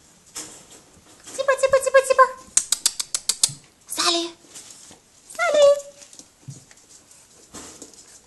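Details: A Basenji puppy almost six weeks old gives high, wavering, yodel-like whines between a person's calling voice.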